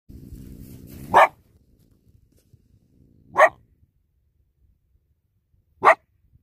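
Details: Coyote caught in a dog-proof trap on a mixed trapline, giving three short sharp barks about two seconds apart, the first preceded by low rustling, otherwise silence.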